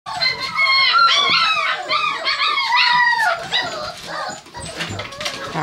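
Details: Several six-week-old Kerry Blue Terrier puppies in a whelping box, wanting out, howl and whine together in overlapping wavering high cries.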